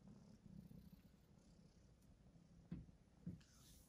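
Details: Red tabby male Persian kitten from a cattery purring: a steady low rumbling throb, broken by two brief soft clicks near the end.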